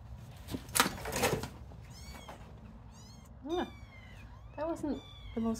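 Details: Little kittens playing, only now starting to play with a person; a woman talks softly at first, then short high rising-and-falling meows come in three brief bursts near the end.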